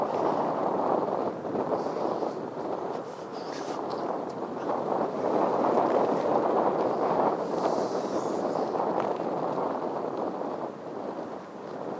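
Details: Steady wind and water rumble, like a boat moving on open water, with no clear animal calls.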